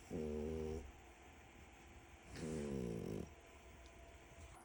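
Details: A deeply asleep, knocked-out French Bulldog snores in deep, rattling breaths, each lasting under a second.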